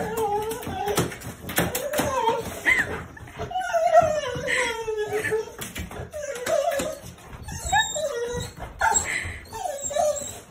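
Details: A Rottweiler whines and yelps in excited, wavering bursts, extremely happy while greeting its grandparents.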